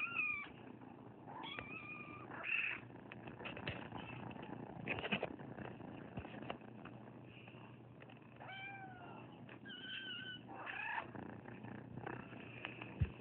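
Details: A lot of rescued foster kittens, dumped on a property in Anza, meowing repeatedly with short rising and falling cries scattered across the recording amid scratching, rustling and a low purring rumble.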